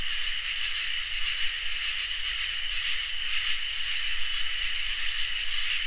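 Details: On a summer night, crickets and katydids fill the air with a steady high trill and repeated buzzy bursts.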